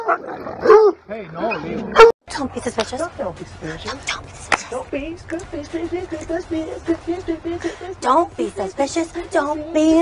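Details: Siberian Husky pet dog vocalizing in a rapid stream of wavering, talking-like howls and whines, pitch sliding up and down, with people's voices mixed in at the start.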